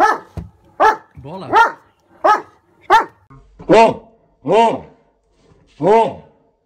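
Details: German Shepherd Odin throws a barking tantrum as a hot air balloon approaches: eight loud barks and yelps at irregular intervals, some with a wavering howling edge, with a brief human voice near the start.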